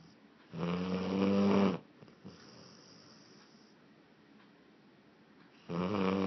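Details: Boozer, a Blue Lacy dog, snoring loudly: a rough, buzzy inhaled snore lasting just over a second, a quiet pause, then the next snore beginning at the end.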